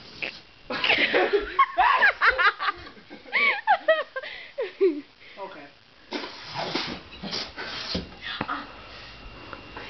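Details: A frightened Basenji gives wavering, yodel-like yelps and moans that rise and fall as a balloon is blown up near it, with people's voices and laughter.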